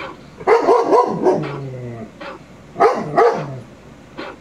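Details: Indoors, a 22-month-old male shepherd dog watching a Rottweiler on television lets out rapid double barks that slide into a drawn-out, falling whine, then another burst of barks.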